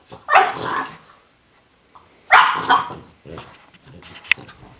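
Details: French Bulldog wanting her toy: two short, rough barks about two seconds apart, followed by softer grunting and whining sounds.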